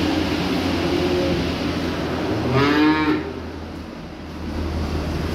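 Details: Young calves arriving by truck: one short, rising moo near the middle, with fainter lowing before it, over a steady low engine-like rumble.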